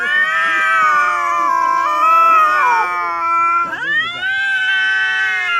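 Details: Weird yowling from a domestic cat, a sustained nasal wail held steady for several seconds, breaking with a quick downward dip and then resuming as an even, drawn-out moan.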